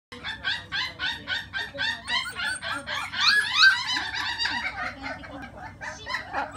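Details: Male puppy named Ao, born July 1, offered through a breeder site; high, harmonic whimpering yelps repeat rapidly, about three each second, some with short rising and falling squeals, against a quiet indoor hum.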